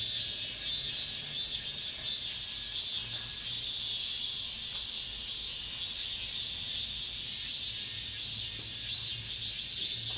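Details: Cicadas singing in an apartment complex at the end of summer, a dense, steady high-pitched buzzing chorus with gentle pulsing swells throughout, no other sounds standing out.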